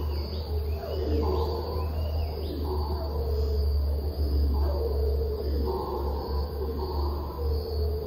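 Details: Red howler monkeys high in the canopy at Iwokrama forest, Guyana, on the morning of 11 May 2024, give deep, rolling roars surging and fading in waves before stopping, over a low rumble and faint insect hum.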